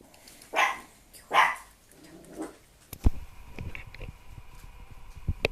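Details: Emmi, a puppy, gives two short, high yelping barks about a second apart, then a fainter third, followed by light knocks and clatter indoors.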